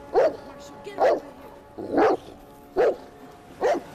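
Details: A Bernese Mountain Dog furiously barking at a snapping turtle that attacked it, five harsh, full barks at roughly one-second intervals with quiet gaps between.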